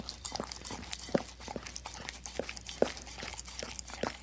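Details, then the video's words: Dog licking a plate: quick wet smacks and tongue clicks in irregular bursts, roughly one to three per second, a few louder slurps standing out, over a quiet indoor background. "Dog Licking Plate Sound Effect"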